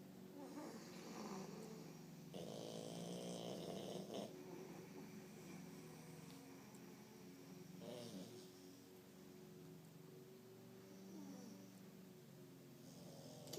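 A French Bulldog snores with rough, rattling breaths in a quiet room.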